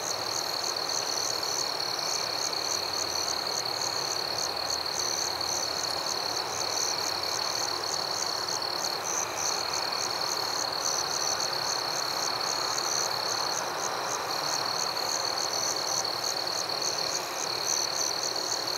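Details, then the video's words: Crickets at night in the forest keep up a dense, unbroken high trill; quick bright chirps pulse two to three times a second throughout, with a low steady hiss beneath. "Crickets at Night"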